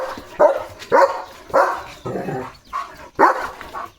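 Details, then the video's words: Leo the German Shepherd, a pet shown with a new pipe toy, barks in a quick, uneven series of about six loud barks, with a short yip among them and a man hushing him. "Leo The German Shepherd ची नवीन खेळणी Pipe 🐶 | कसा चावत खेळतोय बघा!"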